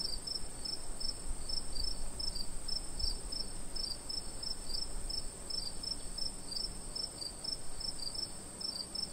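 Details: Night chorus of crickets in summer, rapid high chirps following one another closely and evenly, over continuous hiss and faint low rumble.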